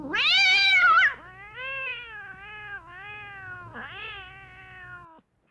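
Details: A single long cat meow meant to lure cats: a loud, shrill opening cry, then a sustained, wavering tone that dips twice before fading away.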